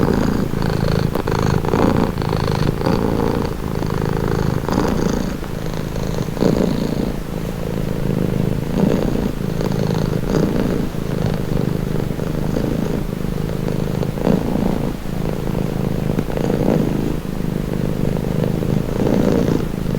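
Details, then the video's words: Calming purr of a pet cat: a deep, unbroken rumbling drone over twenty seconds, rising and falling softly with each breath in and out, recorded up close in quiet surroundings. "1h Purring cat | Calming Relaxing Nature Sound"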